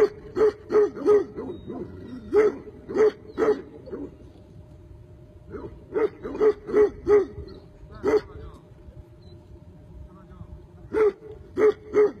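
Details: A Tibetan Mastiff lets out repeated deep barks in loose clusters of two to four, separated by gaps of one to three seconds, with no other clear sounds around it.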